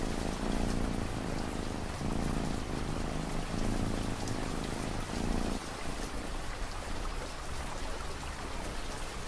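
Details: A cat's rhythmic, rumbling purr carries through the first half amid steady rain, then stops, leaving only the hiss and patter of falling raindrops.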